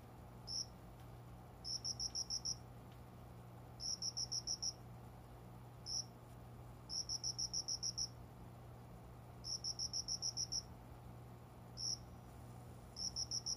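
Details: Unseen cricket calling shortly after 5 a.m. at dawn from a small plant corner by a closed window, summer: bright, high pulsed chirps in quick trills of four to ten pulses, separated by short pauses, over a low steady indoor hum.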